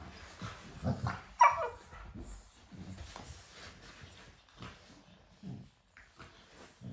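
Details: Cane Corso puppies in a morning sparring session: a sharp high yelp rings out early, then softer low grunts, snorts and scuffles follow through the rest.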